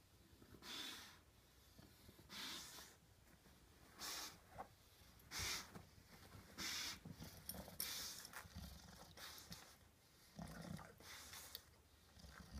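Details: Buster, a pet English Bulldog stuck on his back like a turtle, snorts and wheezes in rough, noisy breathy bursts roughly every one to two seconds, some sharper and louder, with a brief human voice at the start.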